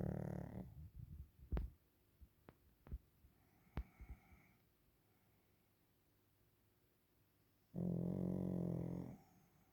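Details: Napping Pekingese called Waffle gives a low, rattling snore at the start and another drawn-out buzzy snore near the end, separated by quiet breaths and a few sharp clicks.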